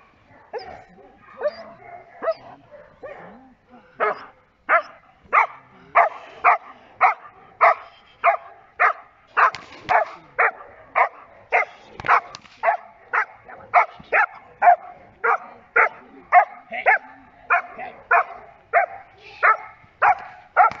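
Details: Giant Schnauzer Blackmoore Enchantress in Schutzdienst protection work barks steadily and forcefully, short sharp barks repeating almost twice a second for about seventeen seconds after a few softer opening yelps.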